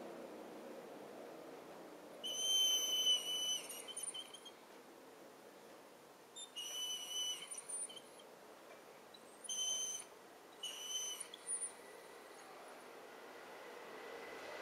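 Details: A Weimaraner gives high, thin whistling whines in short bursts, asking to be let outside, recorded January 4, 2011.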